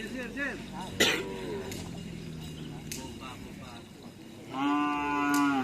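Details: Cattle at karapan sapi bull-race training at the Asemanis field with the Ser Naser team: men talking and a sharp knock, then one long, steady, sustained moo near the end.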